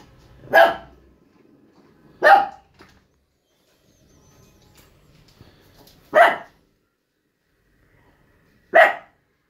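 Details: Shih Tzu on its first trip, in Shimla, giving four sharp single barks spaced roughly two to three seconds apart, loud and abrupt against a nearly silent background.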